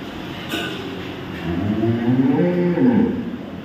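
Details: Cow on a dairy farm in Samora, Karnal, Haryana, lowing in a rough, wavering moo over the final two seconds, pitch climbing then dropping, against steady low rumbling background noise.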